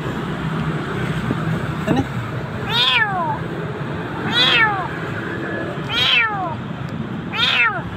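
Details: Frightened kitten close to death in a dark place in Jakarta cries four times, each meow a high falling wail about every one and a half seconds, with a faint tap and urban hum underneath.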